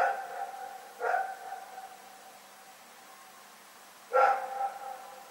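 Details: Night barking from the dog Rex, recorded February 27, 2018: tonal, ringing barks, two in the first second and another after a three-second silence, with a faint hum underneath.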